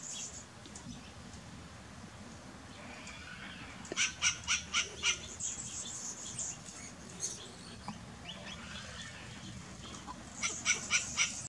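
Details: Western grey squirrel barking in a rapid series of about five harsh, evenly spaced barks, then a pause and another short burst of three at the end, with soft bird chirps and hiss behind.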